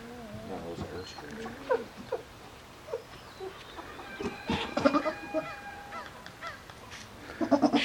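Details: Nigerian Dwarf goats at breeding time, a doe in standing heat: scattered short bleats with a quavering, pulsed tone, the loudest burst in the middle and another at the end, with soft rustling between.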